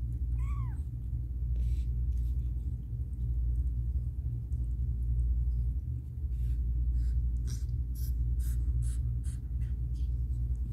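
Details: One clear, curved meow opens the stretch from Caramel, a domestic cat in a difficult birth indoors, followed by soft clicks and rustles over a low background hum.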